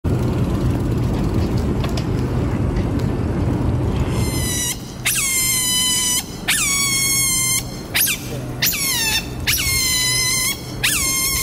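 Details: Smooth-coated otter family at Pasir Ris Park, Singapore, on 3 April 2020, out feeding at dinnertime before retreating to its holt: a run of shrill, falling squeaks and chirps repeated about every second, after a few seconds of steady background rumble.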